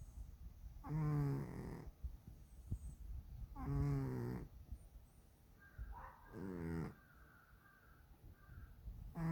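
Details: Domestic cat snoring in its sleep: slow, rasping, vibrating breaths roughly every two and a half to three seconds, each rough purring snore lasting about a second, with quiet room noise between.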